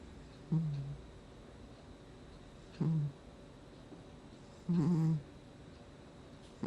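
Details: Cat Gnusmas snoring while asleep, August 2020: three squeaky, low-pitched snores roughly two seconds apart, the last longer and rougher, with near silence between breaths.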